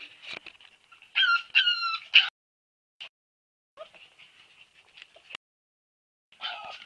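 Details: Husky puppies giving shrill, harmonic yelping whines in a loud cluster around the first two seconds, followed by quieter, broken squeaks and a final rising whimper.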